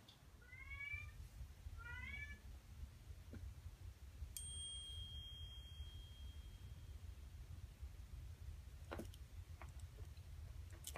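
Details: Shy foster domestic cat indoors giving two short, rising-then-falling meows about a second and a half apart. A clear bell-like tone follows, then quiet room hum with a few faint clicks.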